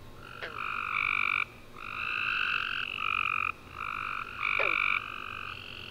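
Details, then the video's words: Night chorus of tree frogs after a rainy summer day, dense overlapping trilled chirping in bursts of one to two seconds, separated by brief lulls, plus a couple of quick descending chirps. "Tree Frog Chorus After A Warm Rainy Day"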